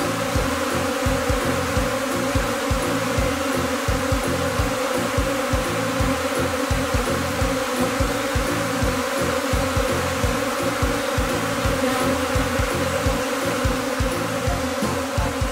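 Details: Steady mass buzzing of a Japanese honeybee swarm in Kinokawa, Wakayama, a second afterswarm of a colony that moved in this spring, gathered on a tree; the drone never pauses, over a rhythmic low thud.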